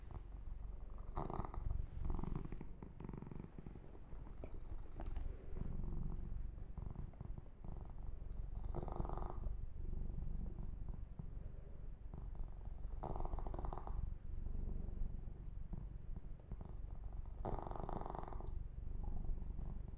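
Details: Steady low purring from the pet kitten Yumak as he is massaged, a soft pulsing rumble through the whole stretch, punctuated every few seconds by short brushy bursts of fur grooming.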